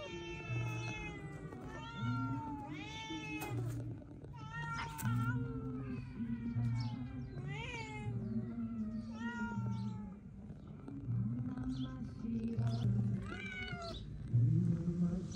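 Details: Cats meowing repeatedly, with drawn-out meows, some rising and falling, others dropping in pitch, roughly every two to three seconds, over steady low background music.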